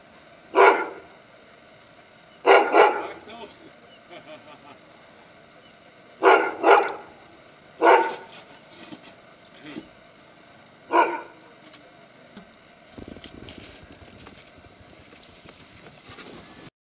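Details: Outdoors in snow, Duri the Afghan Hound barks happily: short, sharp barks, mostly in quick pairs, spaced every few seconds, followed by a quieter stretch with soft rustling near the end.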